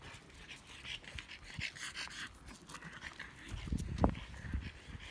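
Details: French Bulldog named Pororo, recorded on iPhone 7 Plus and iPhone 6 in a camera comparison, panting in quick breathy rhythmic bursts, with a louder snorting huff near the end.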